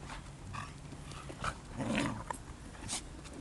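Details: Betty, a playful pup, romping with dogs Onciu and Pufy in a park on a cold November morning; a swelling low growl peaks midway among scattered short yips, with rustling and ambient outdoor noise.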